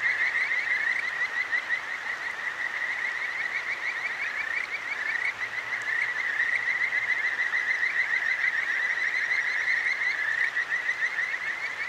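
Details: Night chorus of Kajika frogs by a flowing stream in Tokyo's Akigawa Valley: many fast, bright trilling notes run together continuously above a steady hiss of water.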